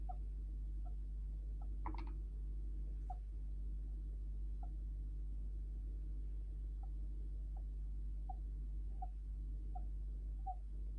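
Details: Djungarian hamster kept as a pet giving soft squeaks labelled sleep talking or snoring, a short rustling burst near the start, then a regular train of faint peeps over persistent background hum.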